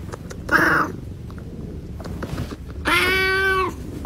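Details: Angry domestic cat from a pet reaction compilation: a short breathy cry, then after a quiet pause a loud drawn-out harmonic meow lasting under a second, with low room rumble throughout.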